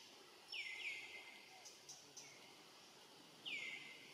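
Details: A young, lonely and hungry monkey looks around and gives high, thin squeals that slide downward, calling for its family.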